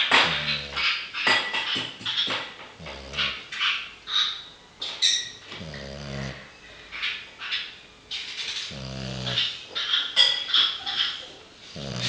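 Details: Sleeping French bulldog snoring steadily, with rough, rattling breaths repeating roughly every one to two seconds. Each deep, grunting inhale is followed by a hissy, wheezing rush of air.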